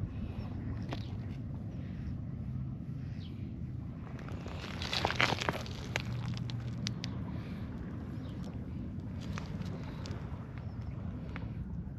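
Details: Steady low outdoor rumble with passing vehicle sound, footsteps and scattered crackles, with no clear animal voice.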